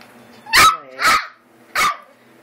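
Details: Eight-week-old American Eskimo Dog puppies indoors: three short high puppy barks, the first two close together with a brief whiny tail, the third after a pause, over quiet room hum.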